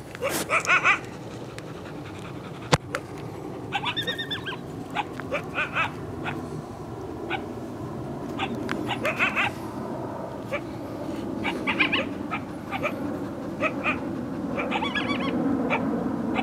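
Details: Two coyotes, thought to be from a pack of five or six, yip and howl near what is assumed to be their den, trying to lure people away. They give short, harsh yips and barks in scattered bursts with brief whining notes between.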